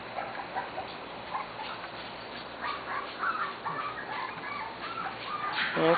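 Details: Corgi puppies from the Sugar and Charlie litter, almost six weeks old, play in a yard for the first time; several short high whines and squeaky yips overlap from the group, with a person's voice near the end.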